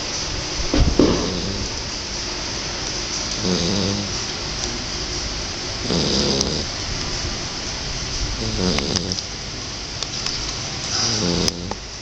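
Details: Sleeping Shar Pei puppy called King snores in rough, rasping bursts that come about every two to three seconds, five or six breaths in all, over constant high hiss with a few faint clicks.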